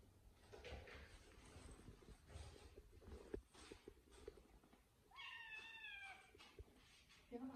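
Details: A British Shorthair cat eats a chicken drumstick, chewing noisily with wet crunches and clicks, then gives a short meow.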